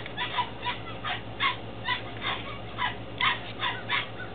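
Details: Belgian Malinois Shepherd puppies aged 10 weeks in Williston, Florida, from a litter born 2-16-2015: steady, fairly even series of high whining yips, about two a second, over a low background hum.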